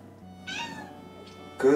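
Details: Kittens Cobi and Berry, Berry a gold British Shorthair, follow their owner into the kitchen crying for food while Cobi answers when spoken to; two short meows, the second louder and brighter, over soft background music.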